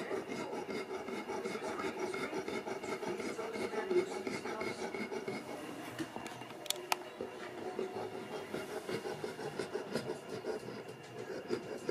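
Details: Steady rubbing and rasping noise fills the room, with faint murmurs of speech and a couple of brief clicks; no animal voice stands out.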